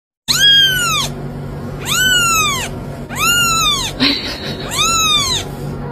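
A kitten gives four high, arching meows, each rising then falling, about one every one and a half seconds.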